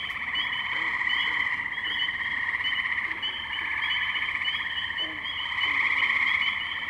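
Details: Tree frogs in a spring chorus at the Firestone Park wetlands, Columbiana, Ohio, May 6, 2023, recorded with a Zoom H2n: dense overlapping trills and peeps merge into a steady high-pitched wall of sound, with a few lower chirps beneath.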